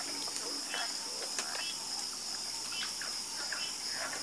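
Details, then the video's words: Frogs calling at night in chorus, with scattered short croaks and quick clicks set against a dense, unbroken high insect buzz. "Calming Sound Of Harmonious Frog Croaking"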